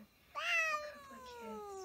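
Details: Single cat meow: a sudden bright onset, then a long, smooth tone that sinks gradually over a second and a half, over faint background murmur.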